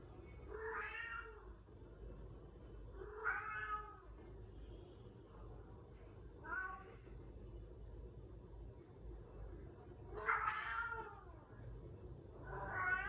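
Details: Pet cat calling at the front door for family members who left to study, a daily habit; five long, bending meows roughly every two to three seconds in a quiet indoor room.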